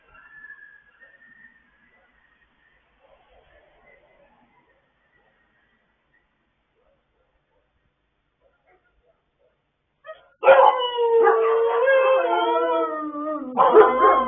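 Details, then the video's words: Pet dogs joining in late-night singing on 26 October 2022: ten seconds of near silence with faint whistly sounds, then several overlapping wavering howls burst out together in a loud, quavering chorus. "Late Night Singing Like A Don Giovanni Performance"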